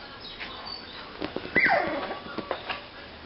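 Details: Six-week-old Border Terrier puppies: one short whining yelp that slides down from a high squeak to a lower tone, among faint clicks and soft rustling indoors.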